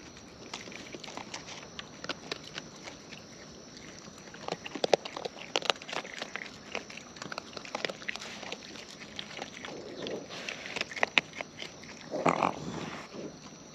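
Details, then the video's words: Wild raccoons eating close up: a steady run of crisp, irregular crunching and smacking clicks, with a few louder bursts of chewing near the middle and toward the end, over a quiet outdoor background. "Wild Raccoons & ASMR Chewing Sounds"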